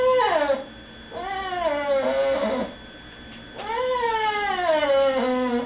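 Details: Pet dog, a female, whining indoors because she is kept from begging at the dinner table where people are eating; three sliding, nasal whines, the last one long and wavering gently downward.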